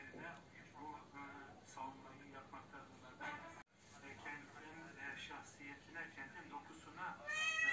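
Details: Domestic cat calling for a mate it cannot find: wavering, harmonic meows and yowls repeated several times a second, ending in a higher, strained cry, with speech-like sounds mixed in.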